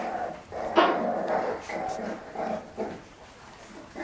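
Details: French Bulldog play fighting, with short irregular growling and grunting bursts, one louder yelp-like peak near the start, and softer rumbling after it.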